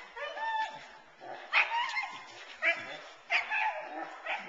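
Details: Nine-month-old Boerboel female in protection training, kept off the sleeve to build frustration, intensity and focus on the man. Sharp yipping barks recur about once a second, with high whining between bursts.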